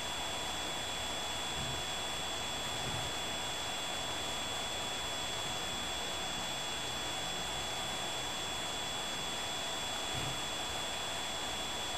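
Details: Steady broadband hiss with a few constant high tones and a low murmur, like an engine or appliance running, with no animal calls.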